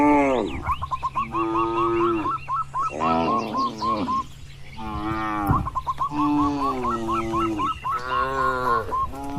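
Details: Herd of tame cattle grazing freely outdoors: several overlapping drawn-out moos from multiple animals, quieter and layered, with a steady run of short bird chirps throughout.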